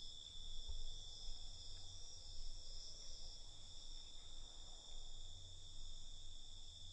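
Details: Night-time crickets give an unbroken, high, ringing trill in stacked layers, with a constant low rumble and a soft knock near the start.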